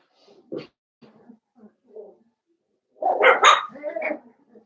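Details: Blenheim Cavalier King Charles Spaniel puppies from a New Year's litter of five, in an indoor pen. A few soft, scattered yips lead into a loud cluster of high, squeaky barks near the end.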